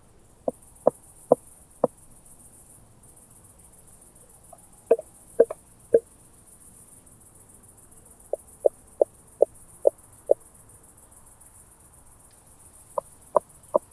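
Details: Southern Oak Bush-cricket at Starnberg, Germany, 7 August 2023, picked up with a Pettersson D 100 ultrasound detector, noise removed: sharp dry ticks in short bursts of three to six, separated by quiet pauses, against a steady faint high hiss.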